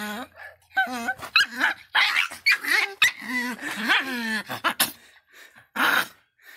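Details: Miniature pinscher barking angrily with shrill yaps and drawn-out whining barks in irregular clusters, then a short pause and one more bark.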